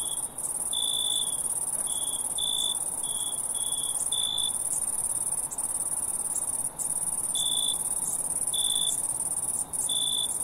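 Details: Several crickets calling: a constant piercing high trill with clusters of short, lower chirps, some quick runs and some gaps of a few seconds, with no birds or voices.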